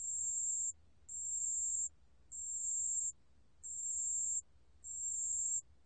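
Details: ["Pale bell cricket song from Korea's National Institute of Biological Resources, 2020: five very high, pure ringing trills, each about 0.7 seconds long, spaced by short silences, against a quiet background."]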